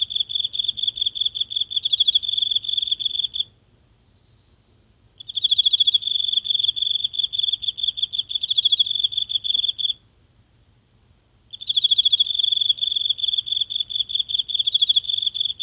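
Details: One insect singing nightly in the grass of a small garden, phone held close: bursts of high, fast-pulsed trilling lasting several seconds, separated by short silent pauses, against a quiet night with a faint low hum.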